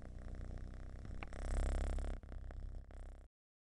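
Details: Deep, loud purr of a domestic cat, typically a sign of contentment and relaxation; a fast low rumble swells louder midway, dips briefly, then cuts off abruptly into silence.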